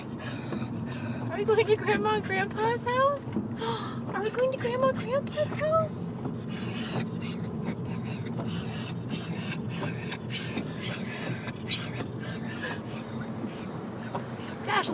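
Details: Excited pet dogs, Dash, Linus and Rerun, greeting their grandma and grandpa with weird noises: a run of rising, harmonic whining cries mid-clip, set against a steady vehicle rumble and people talking.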